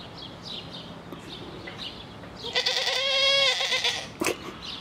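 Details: Bleating Grisons Striped goat at Erlenpark, Basel: a long, wavering, nasal cry of roughly one and a half seconds with a strong harmonic stack, followed by a sharp click, over a soft outdoor background.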